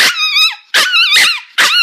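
A Shih Tzu gives a quick series of high, tonal barks to say goodbye.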